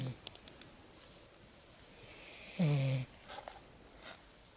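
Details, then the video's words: Lexa, a Lagotto Romagnolo puppy, asleep after her first exciting walk in the woods, gives one low, rasping snore near the end of a quiet stretch, with faint soft rustles before and after. "Süß schnarchender Welpe"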